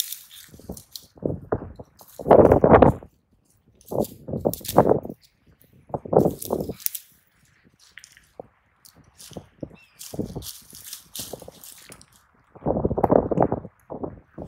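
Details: A pair of raccoon dogs fighting in earnest, crouched and poised against each other; irregular bouts of rough growling and snarling, with a few loud, drawn-out outbursts separated by quieter scuffling and short grunts.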